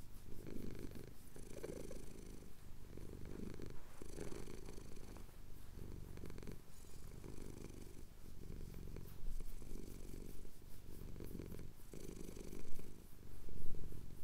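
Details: Purring male house cat, chin being scratched during a Cotswold sunrise, captured on a Tascam DR-07X: deep rhythmic rumble rising and falling with each breath, about one cycle per second, steady and unbroken throughout.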